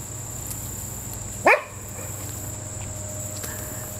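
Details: Six-week-old German Shorthaired Pointer puppies, born August 5, 2008, playing outside. One sharp, high yelp bursts out and quickly drops away, over a steady low hum, then the clip falls quiet.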